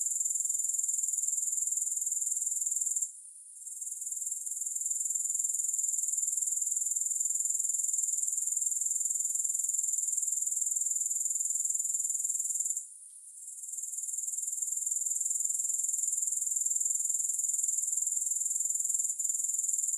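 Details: Grasshopper chorus as a constant high, hissing trill; the sound drops out twice, about ten seconds apart, each time fading back in. Nothing else is heard and there is no music.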